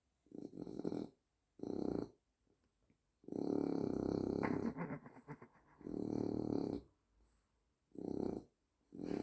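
A French Bulldog snores in loud, rattling bursts, each breath a rough, throaty rumble.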